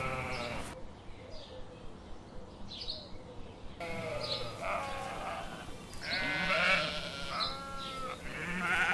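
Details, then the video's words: Sheep giving a few wavering, harmonic bleats, starting after an abrupt cut and louder toward the end, with a low background hum. "Sheep, sound"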